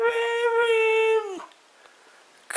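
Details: Mishka, a talking husky, indoors, gives a sustained, steady howl-like vocal of just over a second that drops away at the end, followed by quiet and a sharp sound.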